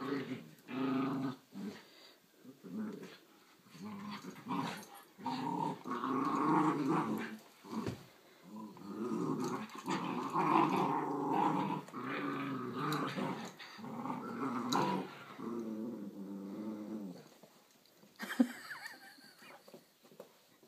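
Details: A giant Schnauzer puppy and a grown miniature Schnauzer growling during play, indoors: rumbling, rolling growls rising and falling in uneven waves, broken by short gaps, with a clatter near the end.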